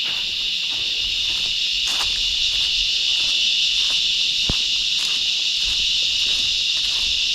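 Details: Rahaiya, a cicada small in body but loud, calling from tree bark along the Lakegala hike in Meemure, Sri Lanka: an intense steady high-pitched buzz filling the air, broken only by soft clicks and footsteps.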